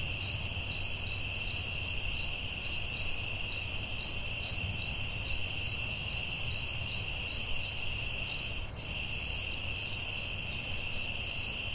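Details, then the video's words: In a forest at night, crickets keep up an unbroken high-pitched drone punctuated by quick, evenly spaced chirps, with a brief soft click partway through. "Soothing Cricket🦗 Sounds at Night"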